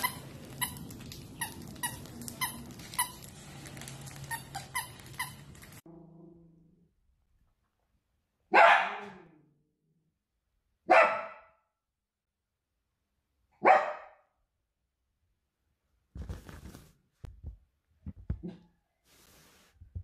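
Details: Dachshund, a wiener dog, gives three sharp single barks spaced a few seconds apart, after an opening stretch of rapid rhythmic tapping and clatter; soft scuffling and knocking noises follow near the end.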